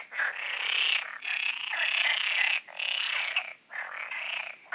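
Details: At night just before the full moon, frogs in large garden ponds make a dense chorus, a loud high rattling din broken by brief pauses.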